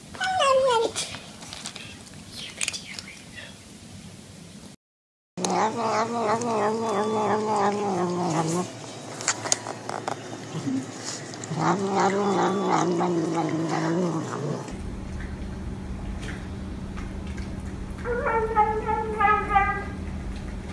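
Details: Cats and kittens crying out while eating, from a compilation said to show them saying yum yum. Strongly harmonic, rising-and-falling meows and caterwauls come in repeated bursts, with human voices and a steady indoor hum at times.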